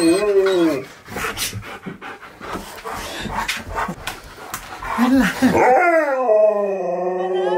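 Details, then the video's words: Husky at a birthday party for his best friend, howling along in a sung happy birthday: wavering tonal howls at the start and end, with panting and a voice speaking in between. "Husky Throws Birthday Party For His Best Friend! Sings Happy Bday to him!"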